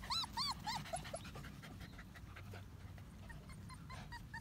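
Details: One-month-old medium poodle puppies whimpering: a quick series of thin, arched, high whines at the start, then softer scattered squeaks over a low household rumble.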